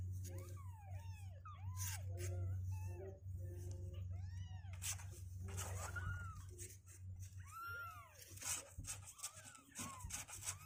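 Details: Two-week-old kittens on day 16, legs growing stronger and refusing to stay in their box, crying in a rapid overlapping chorus of high, arched mewing calls, several voices at once, over a steady low hum.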